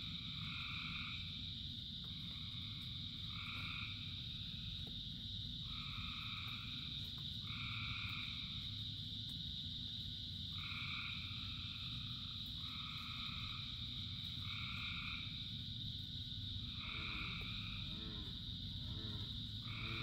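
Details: Frogs singing in rain among thousands of others: two-toned croaks come often and sometimes overlap, with a burst of rattling pulses near the end, all over a continuous shrill chorus hum and deep rain noise.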